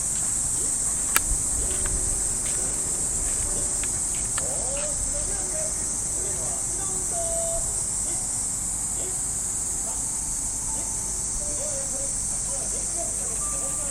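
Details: Continuous high, sizzling cicada drone fills a Japanese park during an early summer morning walk with a Shiba Inu; scattered clicks, a sharp tap and faint wavering tones from distant music lie beneath.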